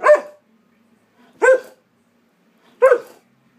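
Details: Alaskan Malamute in an argumentative, "talking" mood gives three separate harmonic woof-like vocalizations, roughly one every 1.4 seconds, with quiet pauses and a faint low hum in between.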